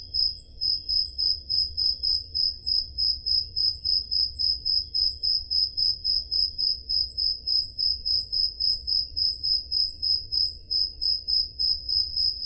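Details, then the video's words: Peloponnese, Greece, summer night: crickets give a high, ringing, rhythmic chirp, about three and a half per second without pause, recorded on a Zoom H5, with gentle low hum underneath. "Crickets Sound Effect"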